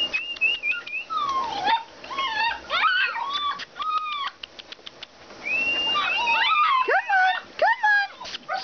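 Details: Several Alaskan Malamutes at play whine and yodel together in rising and falling, squeaky, overlapping cries while a person urges them on.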